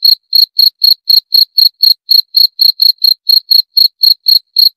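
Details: Cricket chirping in a steady, high-pitched series of short pulses, about four per second, with a bright ringing tone and a faint higher overtone; nothing else is heard.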